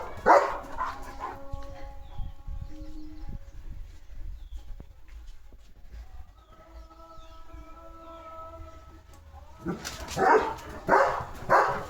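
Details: Leo the German Shepherd guarding his village house as other dogs go by. A burst of barks opens the recording, then a long lull with faint tonal background sound, then another run of loud barks.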